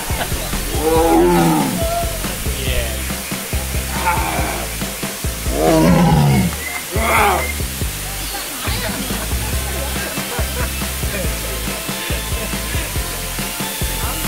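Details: A tiger at San Diego Safari Park gives deep, rumbling roars, a few heavy bursts several seconds apart, over background music and a parent chatting to a small child.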